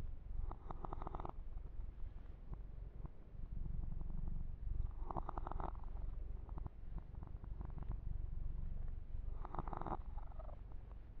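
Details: Yumak, a male kitten, purring while being massaged and groomed, recorded ear to ear for ASMR; a steady low rumbling purr runs throughout, with brief brighter rustling bursts of fur handling about every four seconds.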